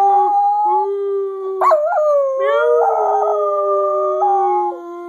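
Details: Scruffy, a pet dog, 'singing' indoors: a long, steady, tonal howl that bends up and down in pitch, with a higher second voice running alongside it.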